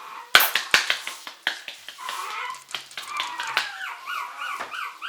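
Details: Short-haired mini Chihuahua puppies, 70 days old, males and females, playful: sharp clicks and taps open, then thin wavering whines and rising-falling whimpers repeat in quick succession.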